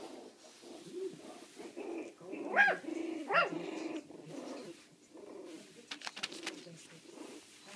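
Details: Four-week-old puppies playing loose indoors give a few short, high yelps rising and falling near the middle, with softer whines and scuffling around them and brief clicks toward the end.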